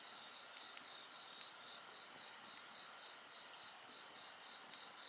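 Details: High insect trilling, evenly pulsed and continuous, against a constant bright hiss, with frequent quick crackles and pops from a burning bonfire scattered through.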